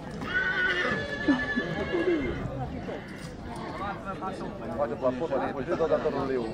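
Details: A stallion from Breaza, Bistrița, recorded in 2022, gives a loud whinny early on that falls in pitch, with people talking, music and clip-clop of hooves around it.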